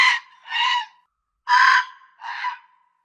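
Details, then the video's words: Fox giving four harsh, hoarse, screaming barks in two pairs, each a raspy burst trailing into a thin tone, with silence between. "SOM DE RAPOSA"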